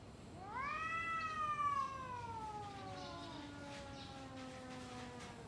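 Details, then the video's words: Domestic cat yowling at another cat before a fight: one long caterwaul that swoops up quickly, then slides slowly downward and fades over about five seconds, with a faint low rumble behind it. "Kucing Ngobrol Sebelum Tarung | Cat Fight | Suara Kucing"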